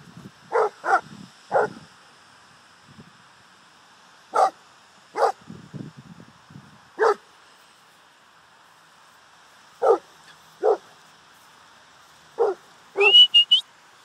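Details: Boerboel at play, letting out short sharp barks singly and in pairs, spaced irregularly with long quiet gaps, ending with a rising whistle.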